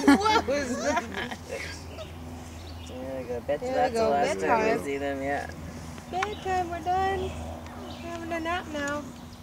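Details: Four-week-old Weimaraner puppies whimper and squeal in high, wavering, overlapping cries, one pup especially vocal, while people talk nearby; the pups pile up together and clean each other off.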